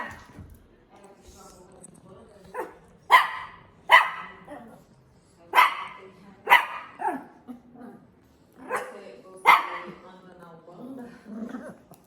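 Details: Dog barks come in loud clusters, several in quick succession, separated by quieter stretches where a person's voice is heard.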